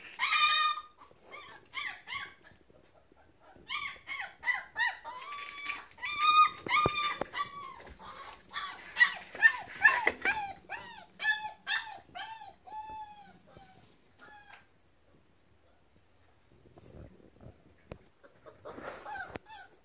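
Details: Crying German Shepherd Boxer mix puppies, a fast burst of short, harmonic whimpers and yelps, many per second, overlapping voices, then a quieter pause before more yips at the end.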